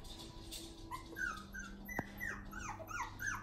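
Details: One-month-old puppies in their new play area making short rising and falling squeaky whimpers, several in quick succession, over a low steady hum with a brief click near the middle.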